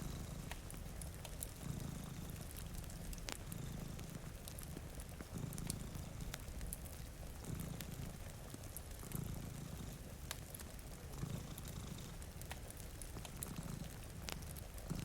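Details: A soft, throaty purr from two cats dozing in front of a rainy window pulses every one and a half to two seconds. Frequent crackles from a fireplace and faint rain accompany it.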